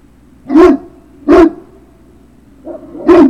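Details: Great Dane puppy giving three loud, full barks, each preceded by a short rising lead-in, about three-quarters of a second apart, over a faint low hum.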